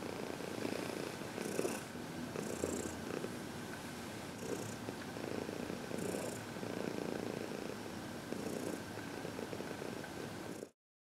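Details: Domestic cat, a 14-year-old senior female adopted from a shelter, purring through a gentle head massage; even low purr with periodic breathy bursts, ending abruptly in silence.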